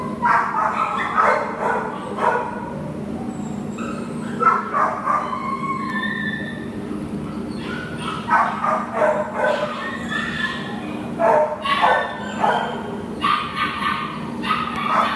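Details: Adoptable American Pit Bull Terrier Nala, filmed 10/1/2015, barks repeatedly in clustered volleys with brief pauses, mixed with higher yips, over a continuous low hum.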